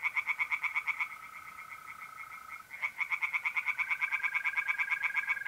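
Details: Tree frogs singing in a pond at night in mid-April, north-east Italy: rapid, regular pulsed croaks in long runs, several overlapping, with a steady high continuous trill from mole crickets running underneath and a brief pause midway.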